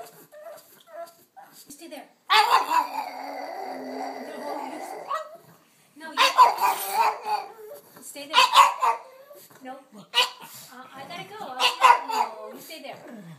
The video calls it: Pug Tinker Howling Excitement